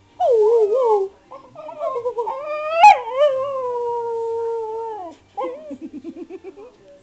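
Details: Spaniel talking back to its owner; a wavering grumble, then a long drawn-out howl-like whine held for about two seconds and trailing off, followed by short pulsed grumbling sounds.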